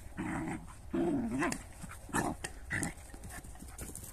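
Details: Dog from a recording featuring a Jagdterrier and a shepherd dog, making a wavering, tonal growl-whine that dips and rises, then several shorter gruff vocal bursts. Low background rumble throughout.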